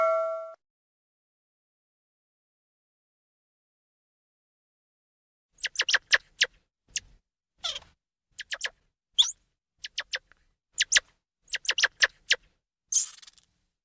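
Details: Squirrel monkey calls: after a few silent seconds, quick bursts of sharp, high chirps and twitters arrive in uneven clusters, some short sweeping squeaks among them, with silence between the groups.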